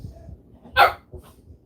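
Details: A male pet dog with a high-pitched voice barks in another room, unhappy about being on the couch: a single sharp, bright bark, followed by a fainter short yip over low household rumble.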